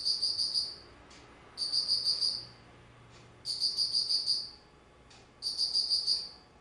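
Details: Shrill insect trills on an autumn day, 19 September 2009, four bursts of bright, rapidly beating chirps lasting close to a second each, with short gaps of silence and faint clicks between them.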